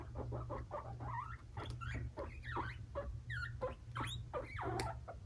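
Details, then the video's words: Five-month-old male guinea pigs Fluffy and Cocoa clashing; clipped squeals and harsh chatters repeat irregularly, some sweeping upward sharply, mixed with scrabbling noises over a steady low hum. "Scary moment! Baby Guinea Pigs kill each other!!"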